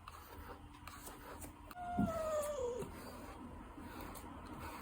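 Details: Ragdoll cat letting out a single thin, descending meow lasting about a second, quiet against steady background hiss, followed by laughter.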